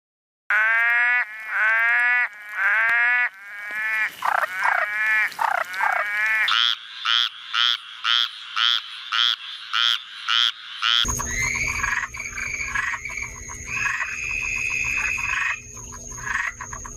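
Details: Frog calls in a spliced series of several recordings: stacked, falling harmonic notes repeated about once a second, then short pulsed notes in quick succession, and finally a steady high tone over a noisy, crackling background.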